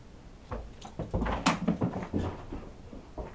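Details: Siberian Husky named Ganja playing catch on indoor stairs, throwing the ball down to be thrown back up; short low whines and whimpers mixed with thuds of the ball and paws on the steps.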